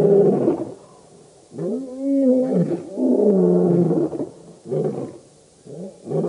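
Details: Roaring chorus of the Birmingham Boys lion coalition at the dam, Djuma Game Reserve near Kruger Park, South Africa, night of August 11-12 2016; loud, overlapping deep moans with arching pitch and brief dips between calls.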